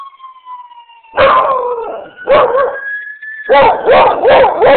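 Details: Beagle/shepherd mix dog howling at passing ambulance sirens: a steady falling siren tone first, then the dog breaks in with rough, broadband baying yelps that rise in pitch over the wail.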